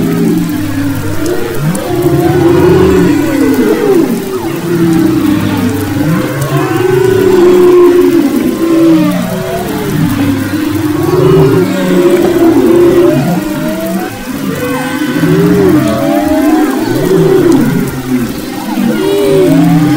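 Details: Humpback whales recorded off the west coast of Maui in February 2011: a dense chorus of overlapping moans and swooping tonal calls, low groans beneath rising and falling whistled sweeps, with many voices layered continuously throughout.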